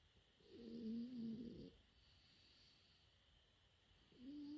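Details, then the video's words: A four-month-old French Bulldog puppy sleeps, letting out one long whistling, wavering snore lasting over a second, then a pause and the start of another rising snore, against a low steady hum. "子犬のいびき フレンチブルドッグ"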